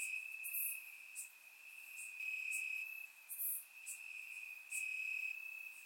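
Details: Warm summer night in Bulgaria, crickets in the grass recorded with a surround microphone; a shrill continuous trill dominates, rising into louder spans of one to two seconds, with a few bright, very high chirps on top.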